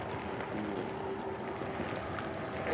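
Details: Wild bottlenose dolphins of Sarasota Bay, recorded on D-tags, whistle in high rising sweeps that are masked, half-buried, under the steady drone of a passing boat.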